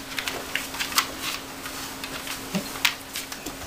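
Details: Irregular light clicks and taps like typing sound over a steady electrical hum in a small room, with no animal call.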